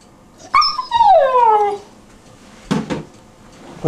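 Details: Newfoundland puppy named Beaumont, 12 weeks old, indoors: a long whine that starts high and slides steadily downward for over a second, then a short rough bark-like burst with a knock near the end.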